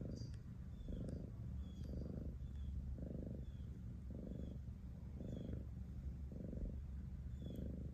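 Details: Domestic cat purring steadily, a deep low rumble swelling in bursts roughly once a second with quieter gaps between, while faint high chirps sound in the background.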